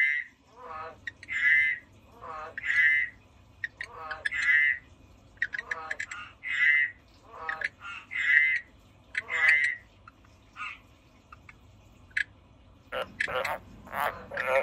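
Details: Frog calling in a regular series of paired notes, a low rattling pulse followed by a brighter croak, repeated about every 1.5 seconds, ending in a burst of broadband clatter.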